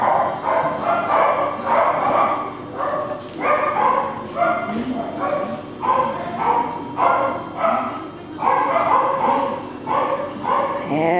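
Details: Four male Cockapoo puppies, brothers named Kujo, Louie, Oliver and Bo, recorded 18 April 2014; short, high yipping barks come in quick overlapping bursts throughout, with a human voice talking faintly in places.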